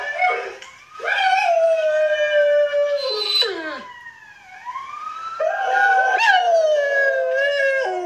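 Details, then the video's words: A 10-month-old German Shepherd howls in long drawn tones that hold steady, then slide downward and break off, followed by a second rising-and-falling howl with rich overtones. "Make Your Dog Howl | 10 Months Old German shepherd | Howling Dog"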